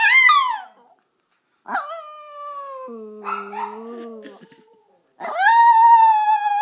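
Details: Five-year-old pet Chihuahua howling along indoors as a person sings Christmas carols, with a Yorkie prompted to join. Long, wavering, drawn-out howls fall and level off, separated by short silences, and a lower voice sustains beneath one phrase.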